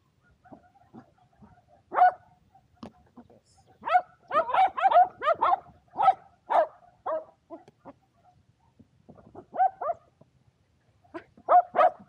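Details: Two Shetland Sheepdogs, Power and Beat, playing frisbee together on a sunny day, 23 February 2022; sharp, excited barks come singly and in quick bursts of three or four across twelve seconds, with short pauses between.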